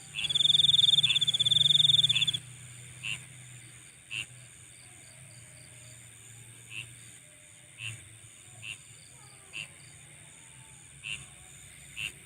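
A chorus of night insects opens with a loud, fast, rasping trill that stops abruptly. Steady high-pitched whining continues beneath short, soft chirps repeating roughly every second.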